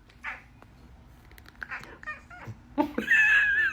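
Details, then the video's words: Cooter the talking house cat answers a person with a short, strained meow at the very end, after a quiet stretch of room noise and faint murmurs. "Cooter the talking kitty"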